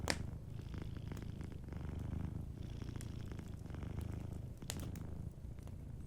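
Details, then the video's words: Deep, even purring from a sleeping cat, a low pulsing rumble that dominates the scene, with a few faint crackles of a fireplace in the background. "Warm Fireplace Ambience with a Sleeping Cat 🐱💤Fireplace & Soft Purring"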